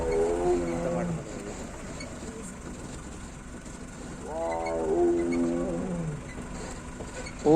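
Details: Male tiger T-101 on a road in Ranthambore National Park, India, on a foggy morning, roars continuously to call a female, in long, throaty moans sweeping downward every three to four seconds; engine rumble and faint voices behind.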